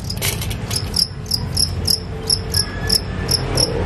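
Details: Wild field crickets, described as big and healthy, bought from a wild-cricket dealer as tutor sound for songbirds in Indonesia: high, sharp chirps repeated about every third of a second over rumbling room noise.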